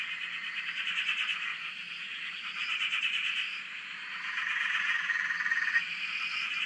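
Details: Frogs in full chorus on a dam in Australia, heard from a shack: continuous pulsed croaking mass, slightly quieter midway then building again, with faint higher whistles drifting above.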